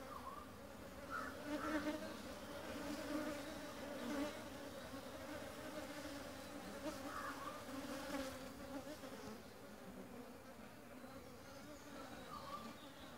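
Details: Busy honey bees of a young colony gathering pollen and nectar at a home-made feeder while building their hive for the new queen; continuous layered droning hum, individual bees buzzing louder as they fly close past.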